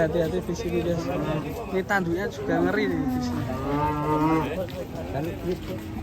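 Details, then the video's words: A raging cow in a compilation of angry cattle. Overlapping moos waver and bend, ending in a longer strained bellow, with a sharp knock and steady low background noise. "KUMPULAN SAPI NGAMUK"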